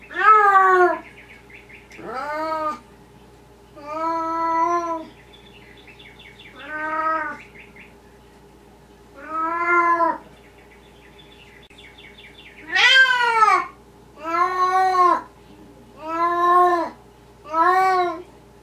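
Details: Night-time talking from a Maine Coon cat inside a house: a varied series of short and longer meows, some clipped chirpy calls, then a louder, higher run of five quick meows near the end, with faint electrical hum.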